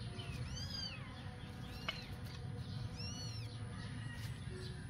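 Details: Adopted stray kittens, eight weeks old, at play in a backyard: two clear arched meows, one early and one about two seconds later, with a sharp click between them over a constant low background hum.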